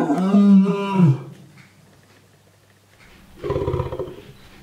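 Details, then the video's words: A lone lion named Ruben, now in a quarantine unit at a bear sanctuary in Armenia after years alone at a shut private zoo, opens with a loud descending roar. After a quiet gap comes a short rough, breathy grunting burst. "Help Ruben roar"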